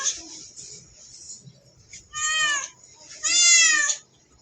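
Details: Cat with a mouse, giving two clear, rising-then-falling meows, the second louder and longer, after a faint softer call at the start.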